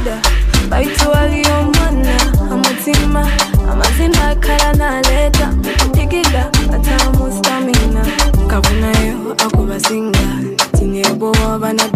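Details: Loud Afrobeat-style music plays, with a driving beat and layered instruments, and no animal sounds.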